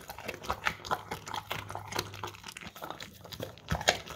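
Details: English Cream Golden Retriever eating crunchy carrots from a bowl, recorded on a Samsung Galaxy S10e; sharp, irregular crunches and bites crackle in quick succession over a faint low hum.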